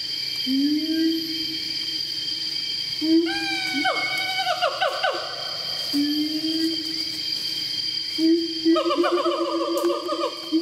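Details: At Way Kambas, Sumatra, a siamang gives long, rising hoots that break into quick, swooping notes, over a steady high electrical hum.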